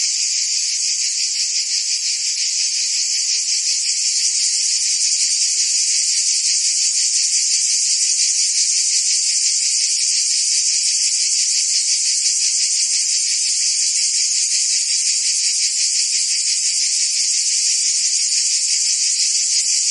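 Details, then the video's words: Crickets and other insects in a dense, unbroken chorus: a steady high-pitched shimmering drone with a fine pulsing texture, holding an even loudness for the whole stretch, with no other animals or voices heard. "Cricket and Insect Sounds"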